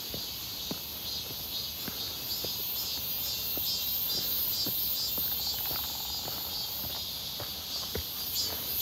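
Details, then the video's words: A cicada chorus on a hot, clear 1 August 2023 near Seonbawi in midsummer: an unbroken, piercing high drone that swells slightly in places, with scattered soft footsteps below. "산책 부쩍 많아진 매미소리"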